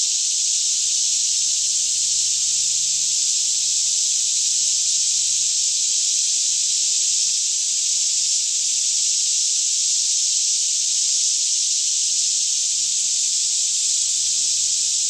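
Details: Cicadas singing together by day in a green forest near Franklin, Kentucky, around 10am with still air, recorded in stereo on a Canon 5D Mk2; the dense, even hissing buzz holds constant throughout, over a soft low rumble.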